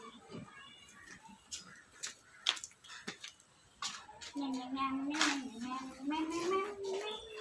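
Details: At a Ratnagiri market where male goats are traded ahead of Bakri Eid, scattered clatter and voices give way to a drawn-out, quavering bleat that rises and bends over about three seconds.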